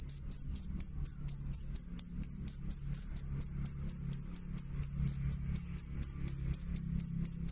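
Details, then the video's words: Cricket giving a loud, clear high-pitched chirp, evenly pulsed at about three per second and sustained steadily, with a faint overtone above and a low humming background below. "suara jangkrik jernih keras"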